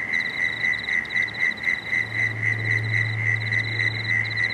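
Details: Dusk frog chorus on the Cooks River at Marrickville: quick regular pulsed calls about four a second, a higher pulsing layer, and a low steady hum rising in the second half.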